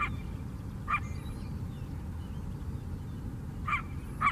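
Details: A city coyote on Chicago's south side lakeshore barks once, falls silent for nearly three seconds, then gives two more quick barks close together. A constant low background hum runs beneath.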